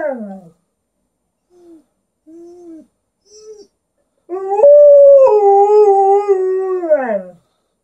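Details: Indoor Alaskan Malamute called Liza vocalizing back and forth with her owner: a falling whine, three short low moans, then a loud sustained howl that jumps up in pitch, wavers, and slides down at the end.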